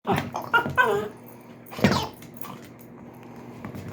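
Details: Pet Dachshund indoors, frustrated while trying to pull the squeaker out of a toy: short high harmonic whines with falling pitch in the first second, then a single throaty huff near two seconds, with quiet room noise after.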